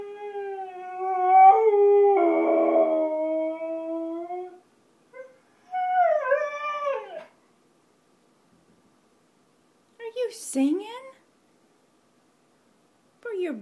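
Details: A male Siberian Husky gives a long, steady, tuneful howl, then wavering falling notes and short yips, as he "sings for his supper" around breakfast, with music playing.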